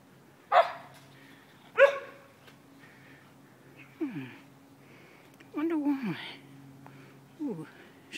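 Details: Excited Siberian husky indoors, stirred up by food take-out containers: two sharp barks, then drawn-out, wavering yowls that slide downward, with a person talking in between.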